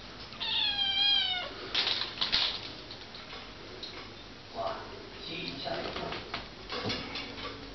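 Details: Pet cat Sietong lets out one high, wavering meow lasting about a second, followed by clattering, rustling and brief human voices in a room.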